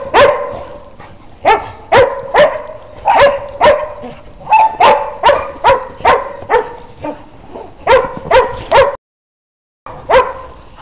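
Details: Dog in snow barking steadily, loud, sharp, ringing barks repeated roughly every half second to second across the whole stretch, with a brief gap near the end before the barking resumes.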